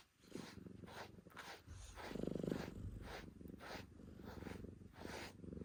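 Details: Male calico cat purring during brushing; a steady low rumble runs beneath rhythmic swishing brush strokes about three per second.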